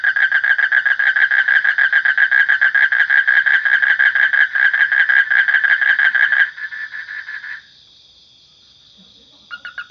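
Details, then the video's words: Fast, rhythmic rasping trill from a frog for about six seconds, then a short weaker burst, near silence, and a brief restart at the very end. "Suara Kodok / Frog Sound"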